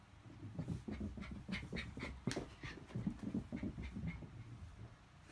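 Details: A 3-year-old male Yorkshire Terrier, rescued from a hoarding house and weighing under ten pounds, pants quickly and softly, about three breaths per second, with short breathy huffs and faint whimpering tones, recorded indoors.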